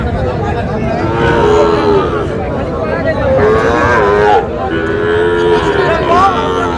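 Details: Sahiwal bull calves at a cattle market in Tangail, Bangladesh, bought by a farmer: several mid-pitched moos with wavering, bending tones, roughly every two seconds, over a constant crowd murmur and men bargaining.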